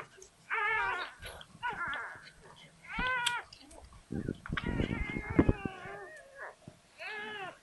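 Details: Labrador Retriever pup during its birth to Sofia, with thin, wobbling whimpers and squeaks that rise and fall, broken by wet rustling and handling noises. A quiet Dutch voice talks gently close by.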